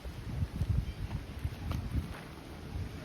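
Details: Gusty wind buffeting the microphone in low, uneven rumbles, with no clear animal voice.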